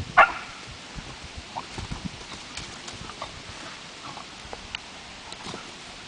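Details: Oscar, a beagle, lets out a single short, sharp bark right at the start, after which only quiet scattered clicks and tapping sounds remain.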